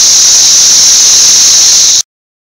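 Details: Thousands of Brood XIX cicadas massed on a six-story wall in Nashville, May 24, 2011, swarming in a mass gathering. Their deafening chorus forms a loud, steady, hissing drone that holds unbroken for two seconds, then cuts off abruptly.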